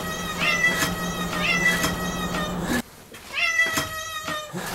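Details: Pet cat Moo welcoming her family home at the front door: a quick run of bright, harmonic meows, about one per second, against a steady low hum that cuts out briefly midway.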